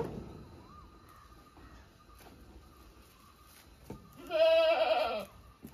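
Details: Domestic goat giving a single wavering, quavering bleat near the end, after several seconds of near silence with faint background noise.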